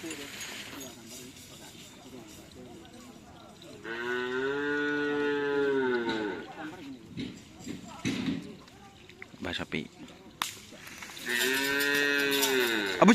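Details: Madura cattle at karapan sapi racing practice on a field in Asemanis, Pamekasan, Madura, Indonesia: two long, loud, harmonic moos, each about two seconds, with background music, people talking and scattered knocks.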